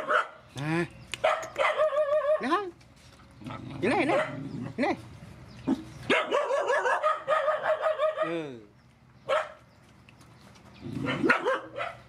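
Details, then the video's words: Rescued mother dogs and puppies at feeding time, with excited high whining yelps and pitch-bending cries in long bursts, interspersed with short yaps and pauses. "Feeding mother dogs and puppies"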